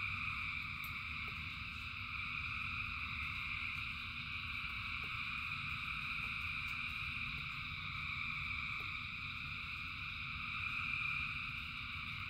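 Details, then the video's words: Frogs singing together in rain, thousands strong, forming a continuous shimmering drone of high trills that swells slightly toward the end, with steady low rumbling noise beneath and occasional soft ticks. "Frogs in Rain 2 Hours of Frogs, Thousands of Frogs Singing"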